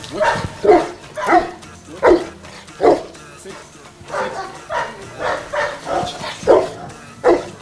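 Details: Boerboel dog called Angel Foo in Kenya, barking while taking commands: a run of short, deep, loud barks repeated about once a second, with quieter gaps between them.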